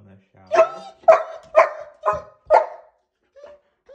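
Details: German Shepherd barking at shower time, indoors: five sharp, rough barks evenly spaced about half a second apart, followed by a couple of faint soft whimpers; a little low background noise at the start.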